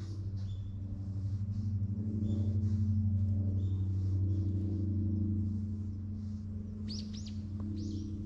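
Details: Purring of a relaxed ginger community cat petted in a cat shrine parking lot in Japan, recorded with a GoPro HERO8: continuous deep pulsing drone, swelling mid-way, with a few short bird chirps near the end.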